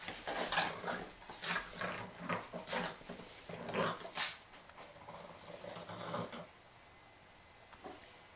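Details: Boston Terriers growling during a rough, noisy game of tug, one dog turning three; rumbling throaty growls repeat in choppy pulses for about six seconds, then fade to near quiet with a faint final grumble.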